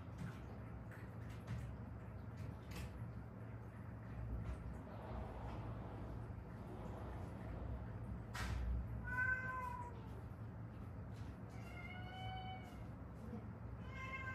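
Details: Stray cat mother and daughter from Haeundae, rescued after years on the street with bones healed crooked from a traffic accident; several short harmonic meows arrive in the second half over steady low hum and faint clicks.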